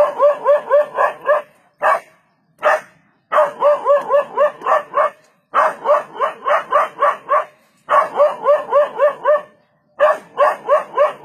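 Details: A dog barking at a leopard, its barks credited with saving it from becoming the leopard's prey; fast, harsh barks come in tight runs of about six to eight, separated by short silences and single isolated barks.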